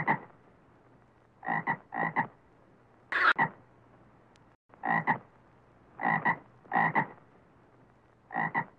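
A frog gives short, harsh croaks, often doubled or tripled, in bursts every second or so.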